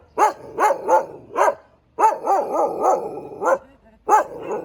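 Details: A Thai Ridgeback barks in a series of resonant, evenly spaced barks with a clear tonal ring. A two-second run of barks follows a brief gap, then a final single bark.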